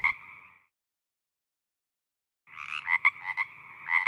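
A toad gives short, chirping release calls, bursts of quick buzzy pulses after a brief pause.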